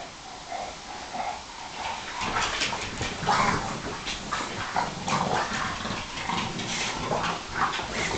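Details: Bulldog, Sarplaninac and Staffordshire bull terrier play fighting on a couch, Bob and Alfie wrestling. Dense bursts of rough growling and snuffling noises swell after the first two seconds and continue almost without pause.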